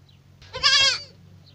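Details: Young goat kid giving one short, wavering, nasal bleat of about half a second, rich in overtones and strongest in the middle, over a low steady hum.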